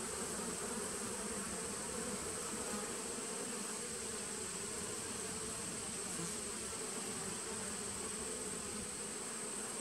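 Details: Honey bees of a 2017 nucleus colony, 19 September 2018, keep up a constant low hum for about ten seconds, slightly wavering in strength, with a steady faint high hiss behind it.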